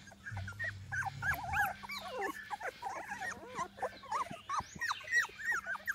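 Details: Chocolate Labrador Retriever pups aged 21 days, at a Seville kennel in Spain, 21 January 2018; many puppies whine and squeak together in a busy, irregular chorus, with a brief low rumbling grunt near the start.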